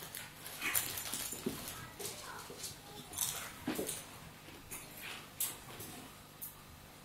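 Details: Two Staffordshire Bull Terriers, an adult and a pup, play fighting: scuffling bursts of noisy snorts, huffs and short growly grunts come in irregular clusters about every half second to second.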